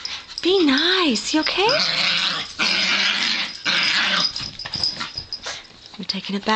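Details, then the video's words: Female Yorkshire Terriers at play indoors: an opening wavering whine and rising yelp, then bursts of rough play growls and snarls, with a woman speaking softly. "RUFF play!!!"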